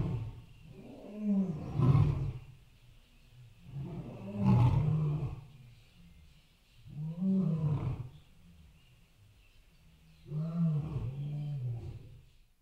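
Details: Elephant uttering deep, booming rumbles in four separate bouts about every three seconds, each a low, wavering growl that fades away.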